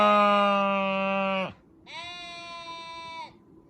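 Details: Sheep bleating: a long harmonic bleat of about one and a half seconds, steady then dropping at the end, followed after a short pause by a second, higher and thinner bleat of similar length. No other sounds.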